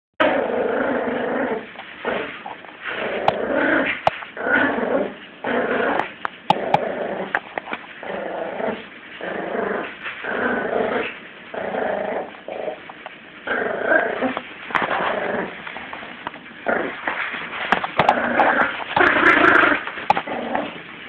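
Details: Yorkshire Terrier puppy Lulu, 17 weeks old, female, growls while playing tug of war with a Jack Russell; rough, raspy growls come in bursts of a second or so, broken by short pauses and scuffling, with a few sharper yips.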